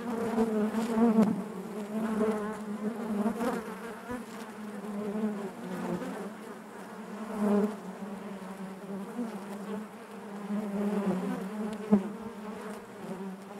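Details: Constant hive buzz of honey bees, deep and humming with bright harmonics above, pulsing gently in loudness as individual bees come near, plus a sharp tap near the end.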